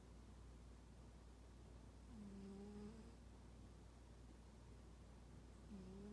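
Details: Unfriendly house cat asleep and snoring 'poo-poo': two brief low tonal snores with a faint higher overtone, roughly three and a half seconds apart, against a steady low hum.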